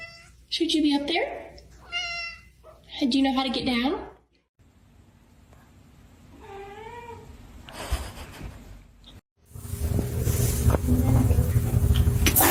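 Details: Cat calling in a run of three quick, wavering meows, then a softer, higher one after a pause, before loud rushing noise takes over.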